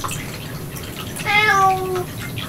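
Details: Domestic cat indoors in a home cat room with rescued kitten Miel, where a cat returned again and again to eat kitten food over ninety minutes; one clear meow of under a second, slightly falling and richly harmonic, over faint household clatter.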